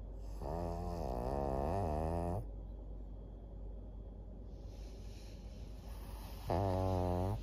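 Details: Maria, a fourteen-year-old fawn female senior pug in Japan, recorded 22 September 2024, gives loud, rasping nasal snores: a long buzzing, harmonic rattle for over two seconds, quiet breathing, then another snore starting near the end.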